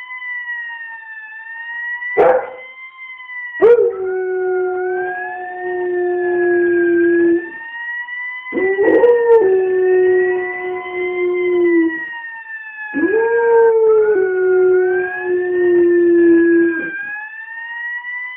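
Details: Dog howling in sync with a fire engine siren, long sustained wavering howls in three bouts, each starting with a rising onset, while the siren's steady rising and falling wail continues throughout.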